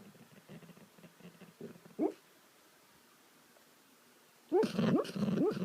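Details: Dog making funny sounds in its sleep: faint muffled puffs, one rising squeak, a silent stretch, then a loud closing outburst of wavering whines and yelps.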